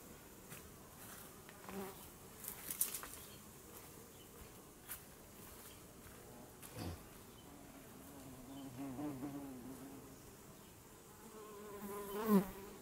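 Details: Honeybee under close observation, its buzzing wings heard as a hum that swells and fades as it flies past the microphone several times, loudest near the end, with some faint clicks and rustles.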